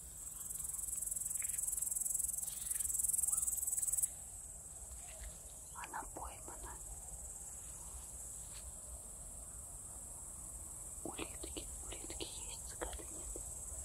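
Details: A very large great green bush-cricket, hidden in grass and first mistaken for a cicada, gives a loud, continuous high-pitched buzzing trill, later softer beneath whispered voices.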